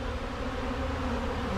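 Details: Honey bees swarming over wax cappings from a recent honey harvest, eating the leftover honey; a brief, continuous low droning hum with steady tonal bands and no pauses.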